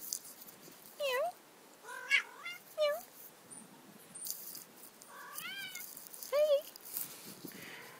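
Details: Neighbourhood cats meeting outdoors, apparently not friends. Repeated short, sharp meows, some rising then dipping, about six over eight seconds, with faint rustling and background noise.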